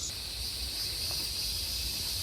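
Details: In Georgia, USA, a large chorus of periodical cicadas, said to emerge only every 10–12 years, gives a steady, high-pitched hissing drone in the background.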